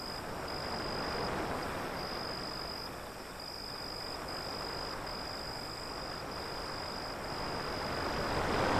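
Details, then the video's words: A high, regularly broken cricket trill runs through the whole recording, partly masked by the broad roar of breaking waves that grows louder at the close. "Crickets Sound"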